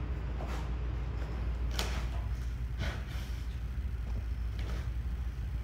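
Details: Sloth bear Niko rips away bark and blows off dirt while eating termites; short airy bursts of breath come at irregular one-to-two-second gaps, set against constant deep background hum.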